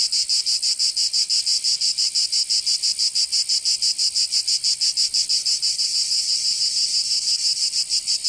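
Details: Cicada song from a summer day in Provence, France: a piercing, steady buzz pulsing very regularly at roughly three beats a second, with nothing else audible.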